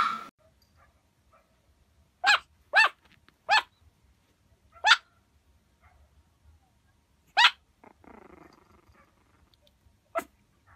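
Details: Puppy giving short, sharp high-pitched barks scattered across the clip: a quick run of three, then single yaps with long quiet gaps, and a brief rustling noise near the end.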